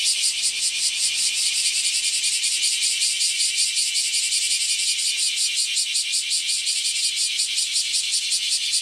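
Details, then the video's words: A dense chorus of bear cicadas calling nearby from the morning on a hot 23 July 2018, a loud, harsh, pulsing buzz that never lets up. "クマゼミの大合唱 ・ 今日は大暑、暑い時に暑い鳴き声を・・・"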